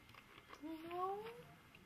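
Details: Tiki, a five-month-old teacup Yorkshire Terrier puppy refusing medicine for a tummy bug, gives a thin rising whine lasting about a second, amid coaxing speech and laughter indoors.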